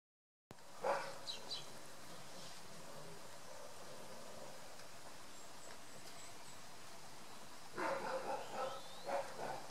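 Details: The year's first young wild boar piglets in Parco di Montioni, Maremma, Tuscany, give short, squeaky squeals, yelps and grunts in brief bursts over a soft, steady outdoor hiss.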